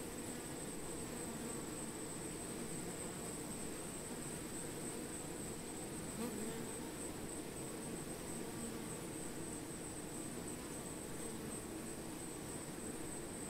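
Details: Honey bees among plants, a dense low buzzing hum holding steady throughout, with faint wingbeat flickers over a thin, constant high whine in the background.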